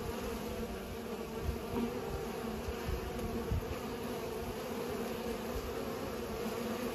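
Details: Bees pollinating, giving a continuous low droning buzz with steady humming tones and a higher overtone throughout, swelling briefly as individual insects pass closer, with no other clear sounds.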